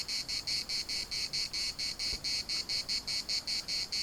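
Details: Chorus of cicadas in Larnaca's municipal park, a harsh rasping buzz broken into rapid even pulses, roughly four each second, with one brief faint click partway through.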